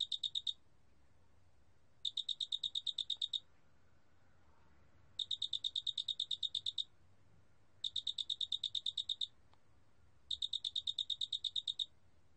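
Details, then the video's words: Large spotted cricket calling, recorded in 2020 by the National Institute of Biological Resources: five strings of sharp, high-pitched pulses, each lasting around one and a half seconds, delivered at a steady rate between short quiet gaps, soft background hum. "큰알락귀뚜라미, 여러번 듣기, 곤충소리"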